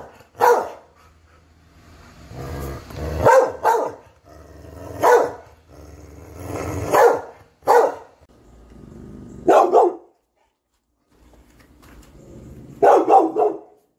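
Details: Barking Catahoula dog, called a talking dog, repeatedly gives loud, uneven barks and yelps over a low background hum, with a brief pause before a final doubled bark.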